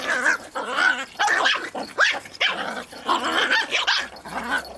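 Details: A wrestling match over a twig between two dogs, Pip and small female Bracken, with Pip in full Tornado Mode. A nonstop run of harsh, growling barks comes roughly twice a second, rough and snarly throughout.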